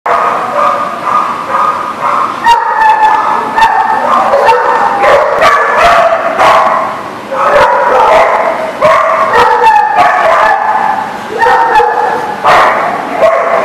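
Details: Several dogs barking at The Barking Lot on 23 September 2019: overlapping loud barks and yips in a dense, busy stretch, with people talking in the background throughout.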